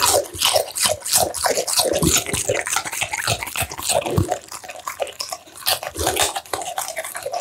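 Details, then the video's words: An American Bully eating steamed pumpkin, minced duck meat, tofu and dried vegetables, close up: wet, smacking chewing and licking clicks in rapid irregular bursts, sloppy and moist throughout. "American Bully ASMR Mukbang: The Most Intense Eating Sounds!"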